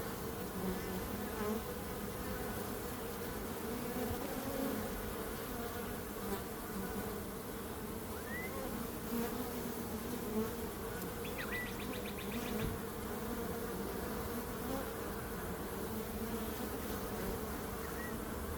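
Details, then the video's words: Bees buzzing in a dense, steady drone with low hum bands near the bottom and a continuous hazy wash above; a brief faint chirp and a short rasping burst show near the middle. "Relaxing Calming Bees Sound"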